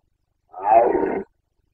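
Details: Carpathian stag roaring in the rut of 2021 in Bucovina, Romania: a single hoarse, rough bellow under one second long, harmonic and mid-pitched, with no other sound around it.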